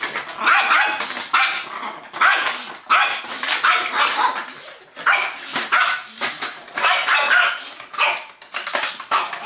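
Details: Playful Yorkshire Terrier attacking a cup, producing a rapid run of sharp, hoarse yaps and barks, several per second, loud and continuous throughout.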